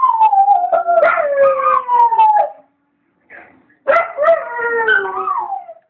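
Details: Dog howling alone indoors while its owner was away at the shop; two long wavering howls that fall in pitch, with yips at the start and a brief quiet gap between them.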